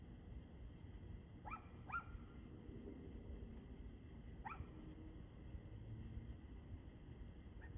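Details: Dog barking, recorded 2/6/2024 at 6:02 pm: a pair of sharp, distant barks in quick succession, a single bark a few seconds later, then a faint one at the end, over a steady low rumble of background noise.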